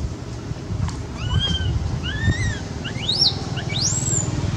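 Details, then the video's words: A scared cat named Quinton begs for milk with arched meows that turn into sharp, high rising squeals toward the end, set against continuous low mechanical rumble. "Poor Quinton begging for milk."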